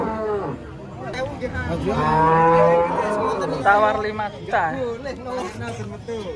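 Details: Drawn-out, rich moo from a pitifully thin cow reduced to skin and bone, swelling in the middle then trailing off, followed by a shorter lowing call, with people talking quietly in the background.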